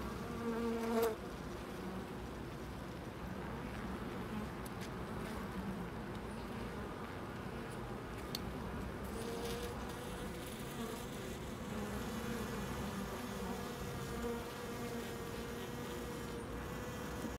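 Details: Bees gathered at a loading dock; a continuous low droning buzz with steady hum bands, holding evenly for the whole stretch, with a brief louder burst near the first second and faint background noise.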